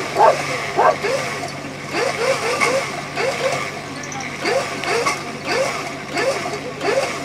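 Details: Afghan Hound at an AKC lure coursing event, open finals, 30 November 2019: rapid excited yelping barks, each a short rising-falling bark, about a dozen in seven seconds in uneven bursts, over a steady low engine-like hum and faint voices.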